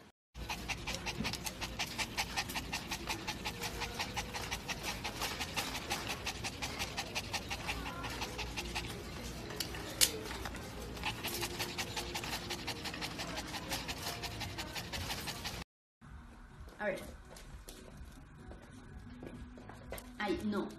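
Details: Yorkshire Terrier panting rapidly and steadily with quick rhythmic breaths for about fifteen seconds, followed by quieter breathing and faint household noise.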